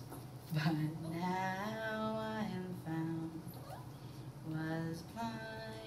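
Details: Tiny pet Chihuahua 'singing' indoors in reaction to instruments being played, a wavering howl whose pitch rises and falls in long drawn-out glides, joined near the end by another short howling phrase over low room hum.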